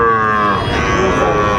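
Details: Sahiwal bull calves at Ranigonj livestock market, Dinajpur, Bangladesh, on 18 April 2024: a drawn-out, harmonic-rich moo that falls slightly, heard over steady market bustle and bargaining voices.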